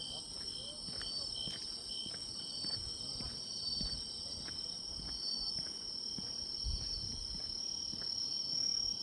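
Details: Grass insects heard in autumn along a walking path: several high, continuous shrill trills layered together, steady throughout, with soft irregular ticks and faint low rumbling from the surroundings.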